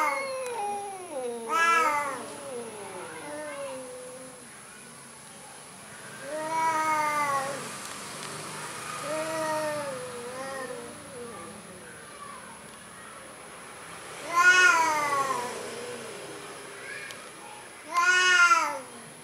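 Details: Orange cat described as cowardly meowing several times, wavering drawn-out calls spaced a few seconds apart, two louder sharp meows near the end, over a faint high electronic whine.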